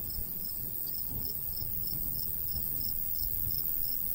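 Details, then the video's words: Summer countryside crickets near a golden wheat field: a steady train of high, thin chirps about three per second, set against a soft low rush of breeze. "Countryside/cricket sounds"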